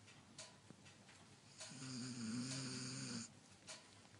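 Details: German Shepherd asleep, snoring and whimpering: a single sustained snore lasting about a second and a half, a steady low hum with a thin whiny overtone and breathy hiss, framed by soft clicks.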